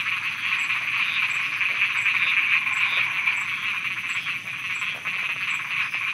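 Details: Night frog chorus in Thailand, a continuous thick mass of overlapping rattling croaks at steady loudness, with faint regular high ticks behind.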